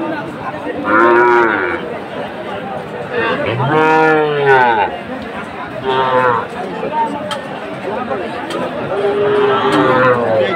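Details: Sahiwal cattle at a busy Chattogram cattle market, Bangladesh, 7 September 2024: four separate moos spread over about ten seconds, some short and falling, one deeper and longer, over constant crowd chatter and market noise.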